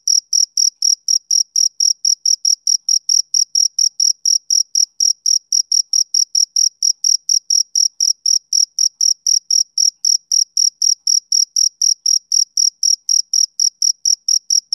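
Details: Chirping of a male cricket, summer evening: a long unbroken run of short, shrill pulses, roughly four each second, keeping a regular beat throughout with nothing else audible.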